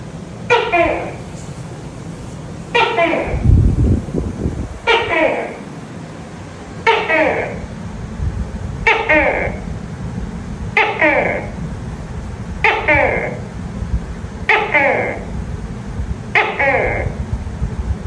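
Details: Tokay gecko calling at night: nine sharp two-part calls, each a click-like onset falling into a harmonic, nasal note, repeated about every two seconds over a low steady background hum.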